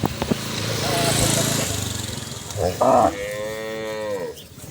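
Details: Village cattle being herded home to the barn: after a stretch of broad noise, a short loud call is followed by a long, falling harmonic moo.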